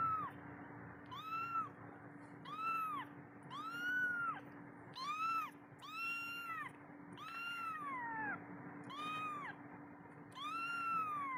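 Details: Abandoned kitten calling for its mother to be fed: clear arched meows repeated about once a second, each rising then dropping, over a constant electrical hum.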